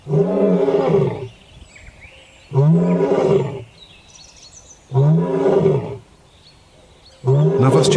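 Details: African lion on the African savanna, whose roar carries across kilometres of plain as a declaration of dominance: four loud, deep, harmonic roaring bursts of about a second each, repeated roughly every two and a half seconds, with faint chirps in the quiet gaps.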